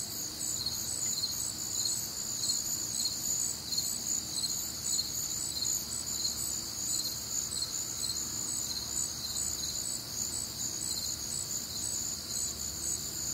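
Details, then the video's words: Many crickets calling together on a humid, warm Midwestern summer night, producing an unbroken, high, shimmering trill with rhythmic pulsing chirps threaded through it and a soft low background hum. "Night Time Cricket Sounds"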